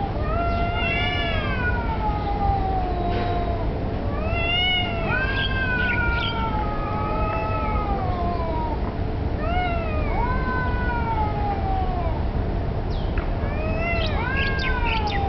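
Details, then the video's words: Street cats, perhaps fighting over territory or mating while the black cat takes a submissive stance, trade repeated harmonic yowls every couple of seconds, each swelling then sinking, over a steady low rumble. "Street Cats"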